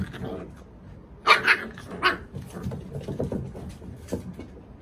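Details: A puppy playing on a deck lets out a quick burst of two or three sharp, high yapping barks, then softer grunting play noises with rustling and scuffling around it.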